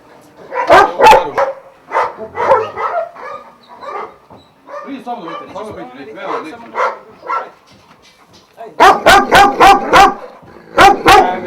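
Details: Kennel Šarplaninac dogs of Vujanski lineage at Jasika near Kruševac, Serbia: a few barks open, human talk fills the middle, then a quick run of five loud barks and two more close the stretch.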